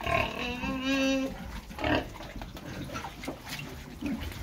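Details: Pedigree Pietrain pigs, boars and gilts kept in the UK: a clear tonal squeal opens, held about a second with strong overtones, then short grunts and snorts follow among pen clatter.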